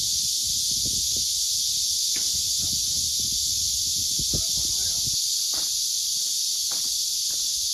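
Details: Loud summer cicada chorus at Nagan Eupseong walled folk village in Suncheon, South Korea, on a breezy day, a steady high-pitched buzzing drone throughout.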